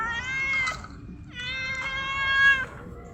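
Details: A stray cat that was after a bird, then stopped hunting on seeing someone with food, gives two loud, drawn-out harmonic meows, the first short and falling, the second held steady for over a second.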